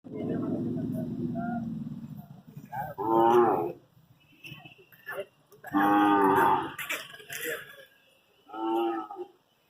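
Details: One-year-old Hallikar stud bull at a cattle fair in Magadi taluk, from Sollur Hobli: a long low droning moo at first, then three loud, harmonic-rich bellows a few seconds apart, with voices and fair noise in between.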